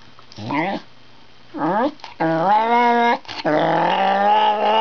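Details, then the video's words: Wire Fox Terrier 'speaking' indoors: short rising yips give way to long sustained, wavering moaning phrases. "Wire Fox Terrier perfecting his speaking skills"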